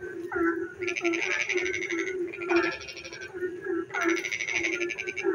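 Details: A frog sings in the dark on a rainy night, giving bursts of rapid, rattling pulses over a steady low hum.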